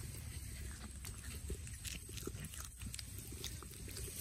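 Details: In a forest, an otter eats a sea bass, giving dense, continuous low munching with bursts of crackly, wet clicking bites and a constant high background hiss.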